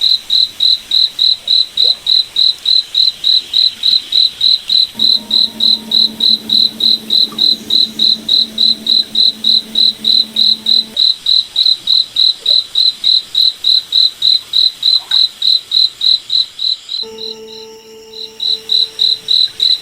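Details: Cricket chirping at night in a moonlit forest: rapid, even, high-pitched pulses, about three and a half per second, repeated without pause. A low steady hum comes in for several seconds mid-recording and again near the end.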